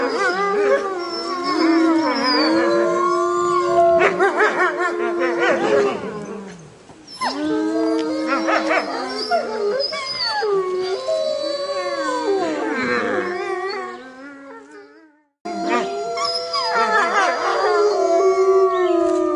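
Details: Howling wolf pack communicating at night; layered howls swell, bend and waver, with broken yipping bursts between them, a brief lull near seven seconds and a silent gap before the chorus starts again.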